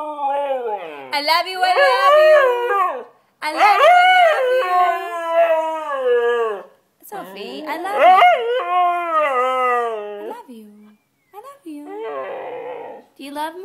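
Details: White Siberian Husky singing loudly: three long, sustained, wavering howls with bending pitch, separated by brief pauses, followed by softer rough whines at the end.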